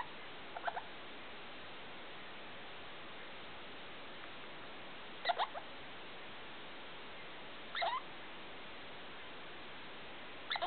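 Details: Felica, a pet degu, making strange night sounds around 2 a.m. in a lit room: four short bursts of quick chirping squeaks, spaced a few seconds apart, over quiet background hiss.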